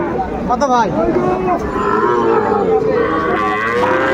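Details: Sahiwal bulls at a cattle market in Mymensingh, Bangladesh, on 9 May 2024: drawn-out, wavering low moos with rich harmonics rise and fall over a steady hubbub of bargaining voices.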